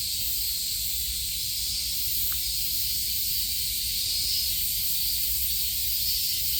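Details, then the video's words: Many cicadas droning together in summer at Kasai Rinkai Park, Tokyo, Japan; an even, sizzling high buzz runs throughout without pause, over a faint low hum. "매미소리에 이끌려- / せみの声に引かれて-"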